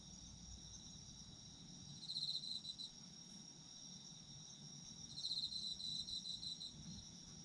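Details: Chorus of autumn insects in which a high pulsed trill breaks out twice, about three seconds apart, each burst under two seconds long, while a constant thin high-pitched ringing from more insects continues underneath and a soft low hum lingers.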